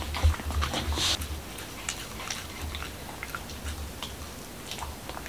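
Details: A male Pembroke Welsh Corgi named Momo chews a dog-friendly taco at home in Washington DC. Quick, uneven crunches and wet mouth clicks come about three per second, over a steady low rumble in a small room.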